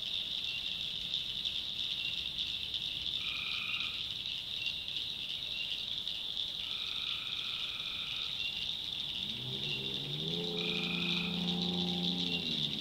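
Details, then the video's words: Swamp at night in North Carolina backwoods, tree frogs in full chorus: constant high shrilling with several lower trills, then a deeper, rising, stacked croaking sound entering in the final few seconds. "Relaxing Swamp Sounds at Night - Frog Heaven - Frogs, Crickets, Forest Nature Sounds"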